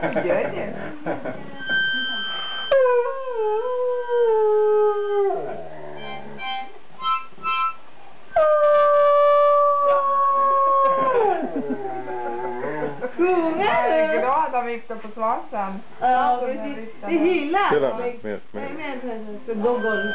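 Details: A two-year-old Afghan Hound howls in long, drawn-out, slowly falling notes, singing along as a harmonica is played.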